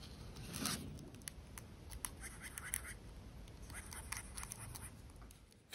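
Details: A large Messor arenarius giant harvester ant, enraged and attacking a refilled drinker whose smell changed, moves its abdomen and stridulates in alarm, a dry scratchy rasp of rapid, irregular ticking pulses, used in nest defence and hunting large prey.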